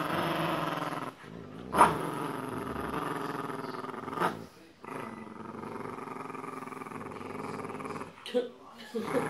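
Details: Boxer and Jack Russell Terrier playing tug of war over a penguin toy; long continuous rumbling growls broken by short pauses, with a woman talking over the play.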